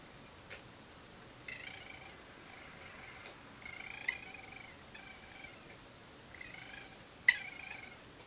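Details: Nighttime raccoons on a security camera recording give soft, rough purring trills in bursts lasting about a second, separated by short pauses, with a sharp click near the end over steady low hiss.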